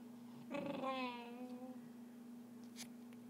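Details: Pet dog making weird noises indoors: a single brief whiny, wavering vocal lasting about a second, with bright stacked overtones that slide down, over a steady low electrical hum and a faint click afterward.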